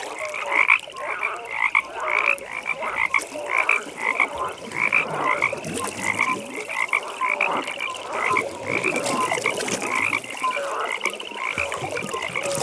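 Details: Frogs croaking at a nighttime pond, strong grating pulsed calls in quick regular bursts, loudest near the start, layered over a steady thin high trill and soft background ambience.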